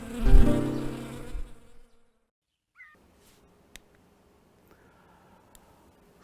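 Honeybees give a low, droning hum that swells and fades over about two seconds. Near-silence follows, with a few faint clicks and a brief high chirp.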